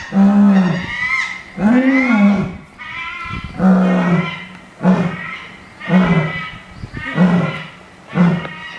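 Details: Nine-year-old female lion in a zoo enclosure at Itozu no Mori Park, calling out hungry before feeding: seven deep, grunting roars in steady succession, each swelling then cut short, loud and reverberant.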